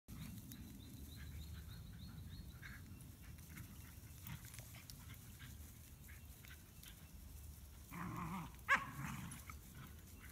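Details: Three dogs playing tug-of-war together with a stick toy; steady low rumbling growls run throughout, swelling into a louder burst near the end, with a faint series of short high squeaky tones early on.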